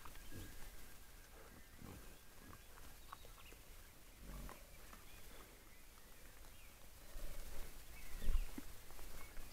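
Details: Wild boar. Deep, gruff grunts from a wild boar come in short bursts every couple of seconds, growing a little louder toward the end. Faint outdoor background noise fills the gaps between calls.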